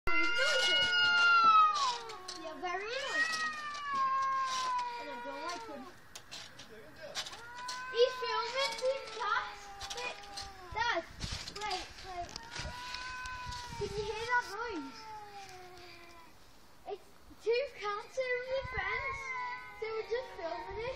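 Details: Two cats making weird, funny noises indoors: long drawn-out harmonic meows that rise and fall and bend in pitch, repeated back and forth in overlapping wavering wails with short chirps, plus a person speaking briefly.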